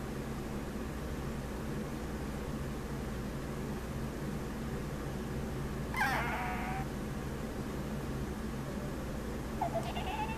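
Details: Sammy, a male Chihuahua, gives a short harmonic whine near six seconds and a brief squeak near the end, otherwise quiet, over the steady hum of a fan and rainy-day background noise.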